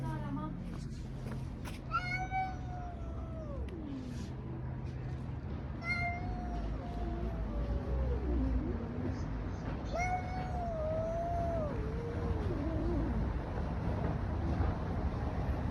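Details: Street cats in a fight give repeated wailing yowls that waver and fall in pitch, several overlapping, against constant low background rumble.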